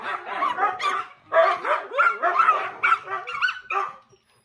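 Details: Pet dogs at home vocalise together during TV time, a chorus of quick yips and wavering whines that pauses briefly near one second, then resumes with rising, slightly tonal cries before fading out.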